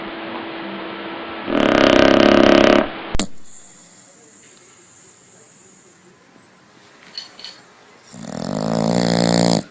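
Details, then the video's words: Snoring dog at home, loud: one rough, broadband rasping snore of about a second, then a quiet gap with faint clicks, then a second coarse snore starting near the end. "Funny Dogs Snoring Loudly"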